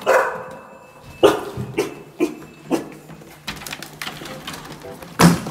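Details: Female cream Standard Poodle, born April 2019, indoors, barking when someone arrives: a series of sharp barks about every half second, loud at first and again near the end, with room noise between.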